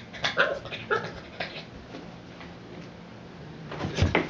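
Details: Boston Terrier, obsessive with his ball, frustrated when it rolls out of reach: short high whines and yelps in quick succession at the start, then a quiet stretch of shuffling before a final sharp whimper, indoors.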